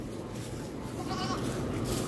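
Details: A ram on a homestead farm "talks" with a low, throaty bleat that has a wavering, voice-like quality.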